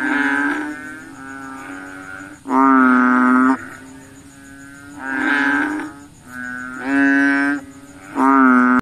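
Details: Frogs at night, said to seek mosquitoes to eat: deep, bleating, harmonic-rich calls roughly one second long, a loud close caller alternating with softer distant ones, steady faint high whine behind.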